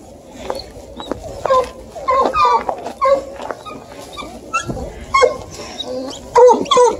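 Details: Excited Bluetick beagle pups, aged four and five and a half months, worry a deer hide for the first time near Kingston, Ontario. Scattered short, high squeaky yelps and whines come in bursts over seven seconds, with a low rumble underneath.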